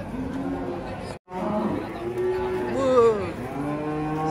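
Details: Calves brought from an Indonesian village to a market and sold, giving drawn, arching moos after a brief cut, with background music.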